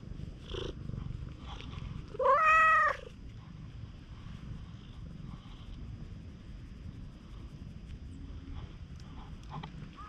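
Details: An affectionate stray cat at a campsite after rain, filmed with a GoPro HERO8 Black, gives one loud, bright meow lasting under a second. It has a rising then falling contour amid quiet outdoor background hiss and faint purring.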